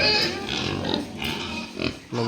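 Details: New Duroc boar on a pig farm: a few short, rough grunting calls, with a louder burst near the middle and another near the end, over steady farm background noise.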